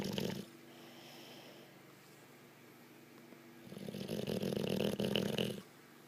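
An Olde English Bulldogge snores in long, rumbling, rasping breaths with quiet pauses between.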